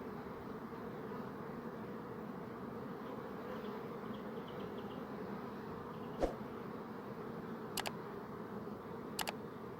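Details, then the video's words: Bees buzzing in a steady, low, droning hum that never breaks, with a few faint sharp clicks late on. "Bee Buzzing Sound"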